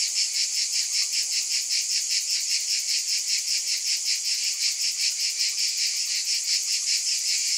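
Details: Cicadas in a loud, continuous high-pitched buzzing chorus that pulses steadily about two and a half times per second, with no other clear sounds.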